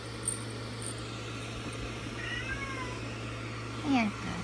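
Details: Forty-five-day-old Munchkin kitten makes a faint high mew, then a louder sharp descending squeak near the end, against a steady background hum.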